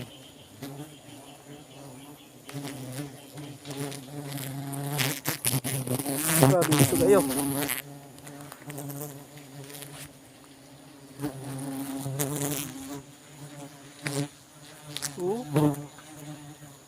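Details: Buzzing of honey bees while their hive is being harvested for honey: a dense, low, humming drone that rises and falls as bees fly close, with loud rustling and scraping bursts midway and near the end.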